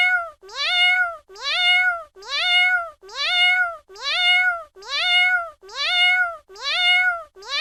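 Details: Repeated cat meow, nasal and harmonic-rich, starting low, sweeping up and levelling before a short fall; nine near-identical calls at a steady rhythm with quiet gaps.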